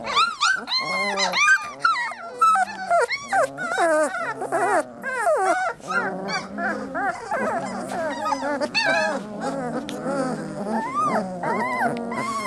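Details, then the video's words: A litter of three-week-old Lab puppies crying together, a long stretch of rapid, overlapping high yelps and sweeping whines, densest early on and continuing unbroken throughout. "Puppy Cacophony"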